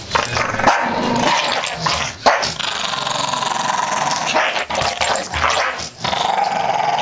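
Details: Two Staffordshire Bull Terriers playing tug-of-war with a blanket growl in rough, rumbling bursts, broken by brief pauses and occasional sharp yips.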